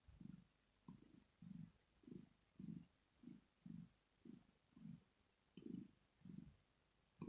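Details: Sleeping pet cat Rosetta, a female, purring in relaxation; the low, rough rumble swells and fades in even pulses roughly every half second with quiet gaps between breaths and no other sounds.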